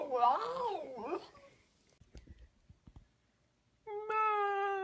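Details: A talking pet dog inside a small room gives a brief warbling, up-and-down vocal, falls silent amid soft taps, then holds a steady, even-pitched howl for about a second.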